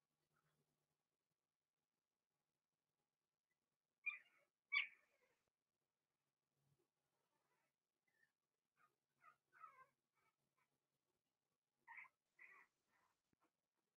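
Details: Blenheim Cavalier King Charles Spaniel puppies, six littermates kept in an indoor pen; a pair of sharp squeals, then a string of fainter broken whimpers and little yips, ending with two more clear whines.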